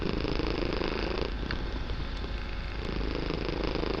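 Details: Loud, continuous purring from a kitten, said to fill the whole room: an even, low vibrating rumble with fast regular pulsing, and a faint brief click near the middle.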